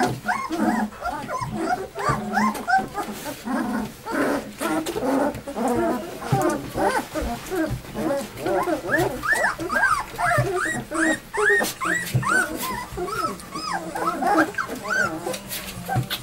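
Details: A litter of two-week-old puppies, recorded 8 April during deworming and weighing, keeps up a busy stream of overlapping high whines and squeaks, rising then dropping, with faint voices underneath.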